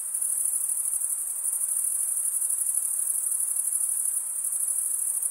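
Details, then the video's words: A short run of cricket chirping: the bright, high, finely pulsing trill made by wing-on-wing stridulation carries on without pause, even in loudness, against faint hiss. "Most relaxing cricket sound for 8 hours"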